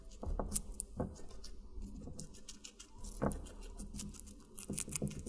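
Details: Guinea pig eating watermelon in a small indoor space, giving irregular moist crunches scattered among continuous soft chewing ticks, with a few stronger bites spaced a second or two apart.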